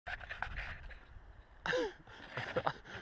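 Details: Kain, a pet dog stuck in a deep snow bank after a big snow storm while the driveway is shoveled, pants in quick breathy bursts for about a second and a half before a person's voice speaks to him.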